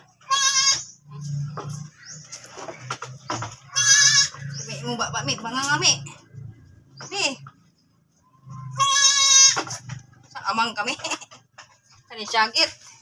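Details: Goat after giving birth again, bleating in short, nasal, harmonic bursts near the start, middle and end, separated by quieter stretches with low humming and scattered clatter.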